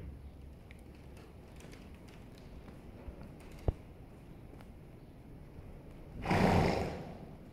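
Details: A Holsteiner horse rolling over stays mostly quiet amid faint rustling and a sharp tap, then lets out one forceful, breathy snort lasting about half a second near the end.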